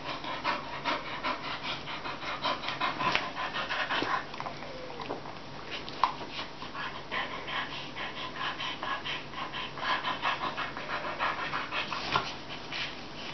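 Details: Two Bull Terriers, about one year old and reunited after 10 months, pant and gnaw steadily in close, rhythmic huffs during a cuddly play session.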